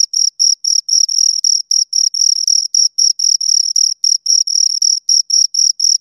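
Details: Two crickets producing high, ringing chirps in quick succession, some short and some drawn out, about four per second with uneven gaps, heard alone in silence.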